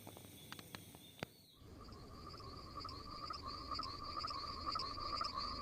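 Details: Frogs at night: a few sharp clicks and taps at first, then a steady trilling chorus of rapid, regular pulses that keeps building in loudness.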